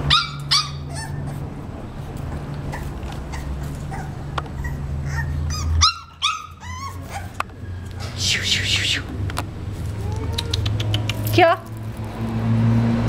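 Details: Male English Bulldog puppy, 35 days old, giving short high whining yelps in scattered bursts and a few squeaky cries, with rustling and handling noise and a low background hum.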